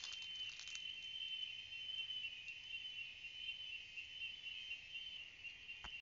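Cicadas sing a steady, high, shrill buzz that drones on without a break.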